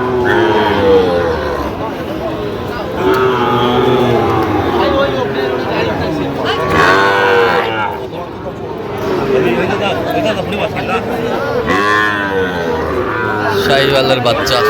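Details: Sahiwal bull calves at a cattle market in Jamalpur, Bangladesh, on 31 August 2025, giving overlapping harmonic moos, some rising then falling, amid steady human chatter and crowd noise.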